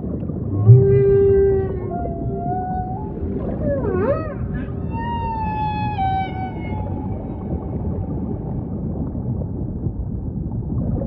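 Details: Humpback whale song over ocean ambience: a long tonal moan, then a swooping rising-falling cry near four seconds and wavering high whistled units, all rich in harmonics above a constant low underwater rumble.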